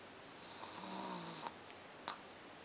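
A Pekingese dog gives a low, rasping snore on a slow breath, buzzy and steady for about a second. Two brief clicks or snuffles follow in a quiet indoor room.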